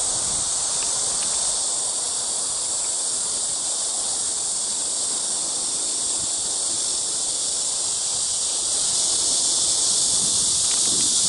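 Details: High, seamless cricket trilling at Eulsukdo bird sanctuary in Busan, South Korea, 30 August 2018; the dense chorus swells slightly louder near the end.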